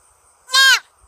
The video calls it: roe deer sound